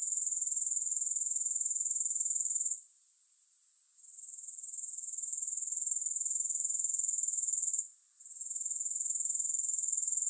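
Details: High, hissing grasshopper chorus with no music, rapidly pulsed at a steady rate, dropping out twice for a second or so and gradually returning each time.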